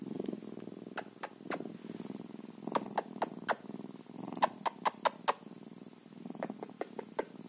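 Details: Bobcat purring softly: a low continuous rumble overlaid by sharp clicking or tapping sounds in quick clusters.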